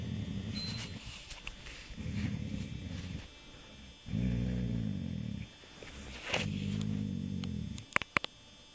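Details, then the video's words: Rudy the dog snoring in the dark, around a week before he died: low, rough, rumbling snores, the later ones deep and drawn out, with rustling throughout and a few sharp clicks near the end. "Rudy the dog snoring"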